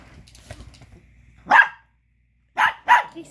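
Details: Chihuahua pup angrily barking to get back a bone another dog is chewing: faint talking at first, then one sharp yap followed after a pause by two quick yaps.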